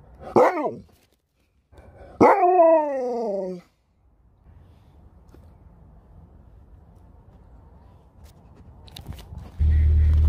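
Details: Pet dog Sherpa makes a short swooping yelp and then a longer, even, tonal howl lasting over a second, followed by quiet background hum and a loud rumble near the end.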